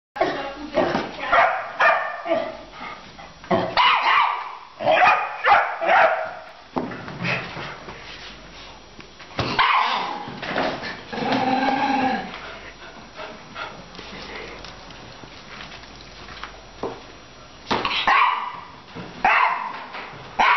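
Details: A Labrador puppy playing with a senior Coton de Tuléar; bursts of sharp barks, yips and growly vocalisations come in irregular clusters, with pauses and scuffling between them.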